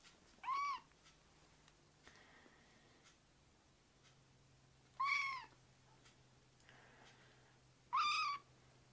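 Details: Foster kittens, rescued babies, leaping onto a man's leg; three loud, clear meows arch up and down, spaced roughly every three to four seconds, with softer faint mews between them in a quiet room.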